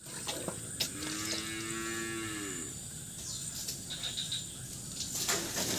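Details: Cattle in a pen still muddy from floodwater, being cleaned out; one long, low, steady moo lasting about two seconds, then scraping and splashing sounds with a constant high electrical hiss throughout.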